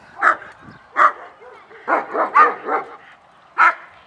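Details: German Shepherds reacting with excitement at the opening of a 6/20/20 social training class. A person's voice and a handful of loud, harsh barks alternate over four seconds, some paired quickly, one last bark after a pause.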